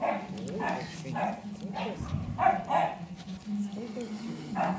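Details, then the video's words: Five-week-old Cane Corso puppies, recorded 10 April 2011, give short high whining yelps in quick bursts, several per second, some rising and falling, over steady German speech. "Die Cane Corso Welpen mit 5 Wochen"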